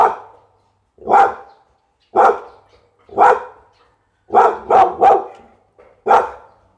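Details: Loud, gruff barks from a Pit Bull, spaced roughly a second apart, with a fast burst of three barks in a row near the end, then one more single bark.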